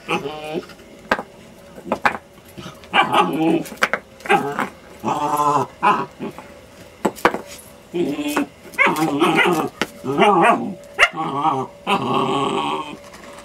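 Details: A new German Shepherd puppy attacks a half brick at home, letting out harmonic, wavering yaps and growly barks in short bursts about every second or two, with people talking between and over them.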